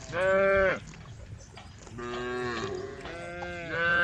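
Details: A herd of cows at the edge of a forest road moo in turn, long harmonic lowing calls overlapping one another.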